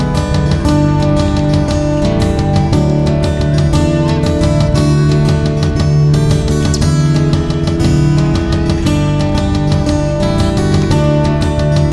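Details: Loud, steady strummed acoustic guitar music with a steady beat and no animal sounds.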